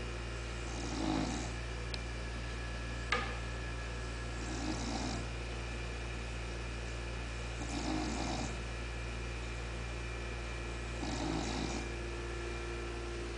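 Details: English Bulldog at rest, snoring: soft breathy rasping snores come about every three and a half seconds, each one a broad hissy burst, over a steady low electrical hum indoors.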